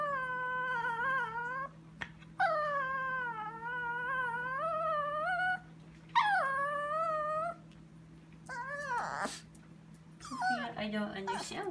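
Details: Chihuahua named Sophia whining at 2am in the kitchen while staring at something; long wavering nasal whines, each one to two seconds with rising and falling pitch, with a steady mains hum and a short rustle near the end.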